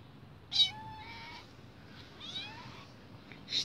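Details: A two-month-old female kitten indoors in an apartment, woken from sleep and seeking attention while someone works: two rising, drawn-out meows, each under a second, with faint background music.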